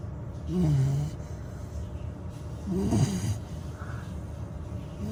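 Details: A sleeping female Labrador Retriever puppy, just over 100 days old, snores with low, rumbling breaths about every two seconds.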